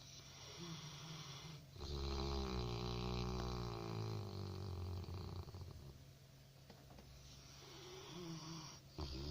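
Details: A Labrador Retriever puppy asleep and snoring: a low, rumbling snore swelling for several seconds, then fading into softer breathing, with a steady background hum.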